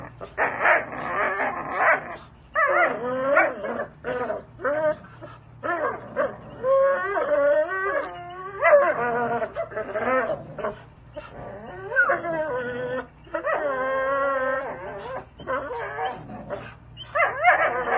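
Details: Belgian Malinois working dog in Fresno, California, vocalizing during a spring pole band workout: bursts of high, wavering whines and yelping cries, with brief pauses between strained outbursts throughout.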